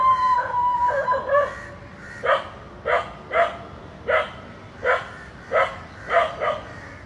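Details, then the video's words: Barking dog reacting to a pair of snakes hugging; a whiny tonal yelp opens, then a steady run of single barks about every 0.6 seconds. "A Dog Is Barking Seeing Two Snakes Hugging"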